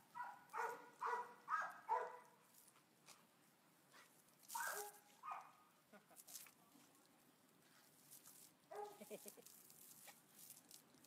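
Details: Cookie the Boxer, an adoptable dog filmed on 1 August 2015, lets out four quick barks in a burst, then a pause, one louder bark, and a final cluster of softer, rougher barks near the close.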